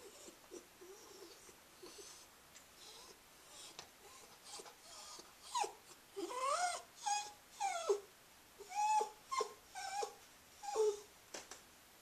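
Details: A run of whines from Scruffy, a female Cairn Terrier: soft scattered whimpers at first, then louder, sharply bent cries repeating about once a second through the second half.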